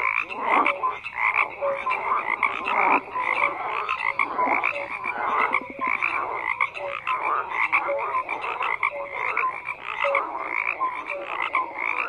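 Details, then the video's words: A thick, continuous frog chorus: layered rasping croaks fill the background, with occasional short tonal peeps and a quick ratcheting burst near the middle. "FROGS CROAKING"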